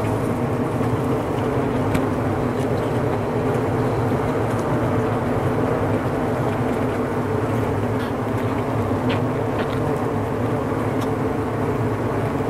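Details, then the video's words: Honeybees gathered in their winter cluster, all tending one another and their queen: a dense, steady, unbroken hum with a low droning pitch and no pauses, with faint clicks now and then. "8 HOURS of Bees BUZZING"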